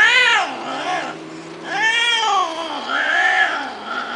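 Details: A domestic cat meows three times in succession. Each call is long and arching, rising then falling, with a brief pause between calls. A faint low steady hum runs underneath the first half.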